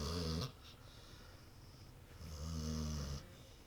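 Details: Female pet dog named Lexie asleep on a couch, sometimes with her eyes open, snoring loudly: two deep rumbling snores, each about a second long, separated by a quiet pause indoors.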